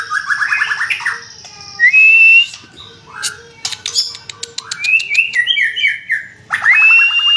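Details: White-rumped shama, known locally as murai batu, singing a rich, varied song: rapid descending whistled trills, clear sliding whistles, and sharp clicking notes, with loud harsh bursts in between.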